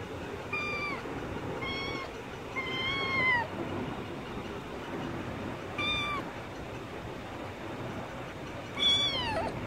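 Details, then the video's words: Chuti, a kitten stuck in a net, meowing repeatedly: about five short, high, downward-curving meows spread over ten seconds against a steady hiss of background noise. "বিল্লি নেটে আটকাই গেছে | Kitten Stuck in Net"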